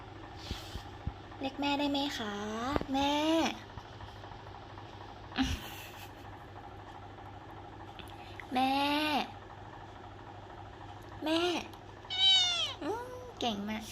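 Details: Repeated meowing from a cute cat: about five separate calls spaced a few seconds apart. Each call is harmonic and whining, some bending down then up, others rising into a high squeak. Soft clicks and a steady low hum sit between calls.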